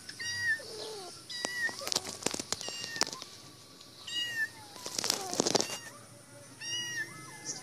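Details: Female cat shut in a cage, meowing to be let out; short repeated meows between loud clatters and rattling, with a human laugh in the middle.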